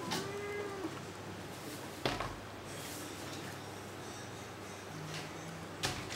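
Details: A leaping, bounding kitten opens with one clear, steady mew of nearly a second, slightly falling at the end, then sharp knocks and bumps from its play, with a low household hum behind.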